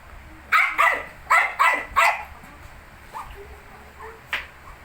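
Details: Five quick, high-pitched yaps from 19-day-old Shih Tzu puppies come in a rapid run, followed by softer squeaks and one last sharp yip, over a low hum.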